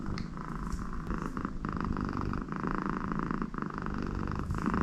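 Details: A very happy American Shorthair cat purring loudly while her owner stays beside her; the low rumble runs continuously, with slight swells in intensity.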